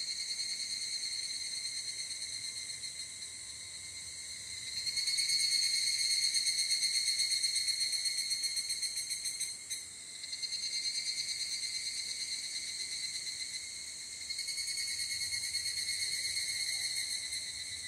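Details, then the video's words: Higurashi, the evening cicada, in Japan, recorded in the field at evening with a ZOOM F8n Pro and Schoeps stereo microphones; a shrill, rapidly pulsed metallic ringing that swells, dips briefly near the middle, then rises again in waves. "HIGURASHI, EVENING CICADA IN JAPAN /フィールドレコーディング ヒグラシ 鳴き声"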